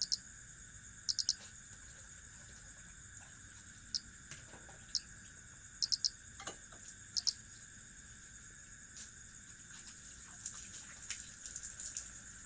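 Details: Crickets trilling in a steady, unbroken high-pitched chorus with several layered tones, punctuated by scattered sharp clicks and ticks near the start and middle.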